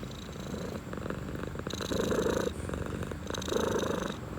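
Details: Relaxed domestic cat purring, a continuous rasping rumble pulsing in quick regular cycles, with louder swells around the second and fourth seconds.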